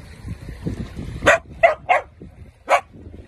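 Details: Playful Dachshund, a sausage dog, gives four sharp, short barks: three close together, then one more after a pause, over a low rumbling background.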